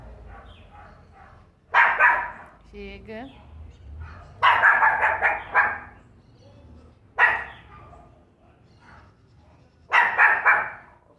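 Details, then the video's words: A Pinscher getting angry gives short bursts of sharp, harsh barking, with a person talking in between. "Pinscher Pingo latindo!"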